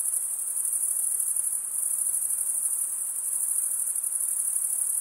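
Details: Crickets, males stridulating by running one wing along the toothed vein of the other, produce a steady, shrill, very high trill with fine rapid pulsing. It runs unbroken, with only a faint soft hiss beneath.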